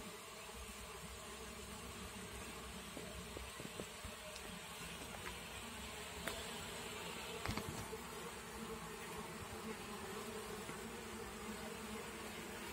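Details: Continuous droning buzz of many honey bees around a mini top-bar hive, steady and low, with a few faint clicks and taps.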